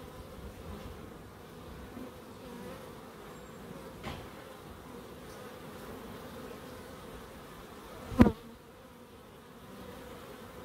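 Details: Bees hum softly and evenly in a small wildlife garden in Crookes, with a faint tap and then a sharp click interrupting the drone.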